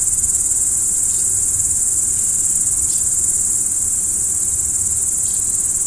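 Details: Crickets at night, a dense high continuous trill held without any break, with a few faint short descending chirps scattered through and a soft low rumble underneath.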